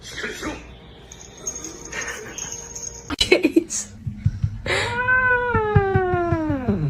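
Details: Pet cat in a funny home moment gives a long, drawn-out wailing meow that starts fairly high and slides steadily downward over about two seconds. Clattering knocks, faint music and a man's voice come before it.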